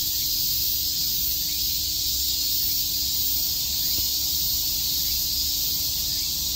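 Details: Unbroken shrill droning of cicadas chirping on a summer day in Shakujii Park, Tokyo, steady in pitch and volume, with a soft constant hum and one brief faint click near the middle.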